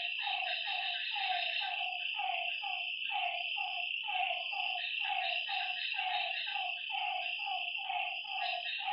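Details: Lakeside frogs at night give quick, repeated croaking notes that fall slightly in pitch, roughly three per second and overlapping, set against a continuous shrill insect chorus.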